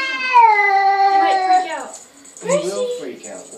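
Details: Recently adopted male cat from an animal shelter, moaning while talking to himself in a mirror indoors: a long, drawn-out, slightly falling harmonic moan of nearly two seconds, then a shorter wavering one, with a person speaking.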